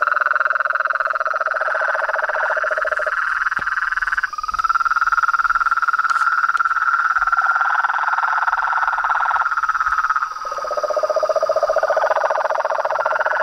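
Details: Overlapping frogs, toads and treefrogs calling together: a mid-pitched pulsed trill alternating with a lower, deeper pulsing voice, the two swapping back and forth, with a faint high hiss and a sharp click.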